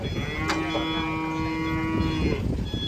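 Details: An enraged cow about to be sold gives a long, steady, droning moo, held at an even pitch for nearly three seconds. A faint high electronic tone sounds in the background.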